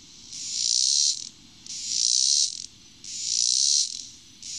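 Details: Robinson's cicada, singing at dusk, gives a harsh, high-pitched buzzing song broken into roughly one-second bursts, repeating at a steady pace with short quiet gaps between them.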